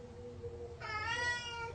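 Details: A pet cat, wanting a spider, gives one drawn-out meow with a clear stacked tone, steady then slightly falling, after a quiet start. Low room hum sits underneath.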